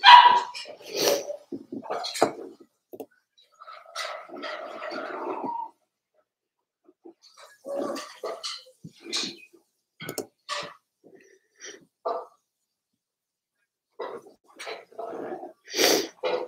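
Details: Four-week-old Cavalier King Charles Spaniel puppies from Daisy's litter in their indoor puppy pen, giving short, scattered yips and squeaky whimpers in irregular bursts with brief quiet gaps between them.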